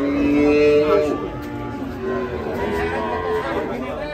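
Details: An agitated cow, rampaging as it is unloaded from a truck and ends up in a ditch, lets out a steady, low, sustained moo lasting about a second, followed by fainter lowing beneath people talking.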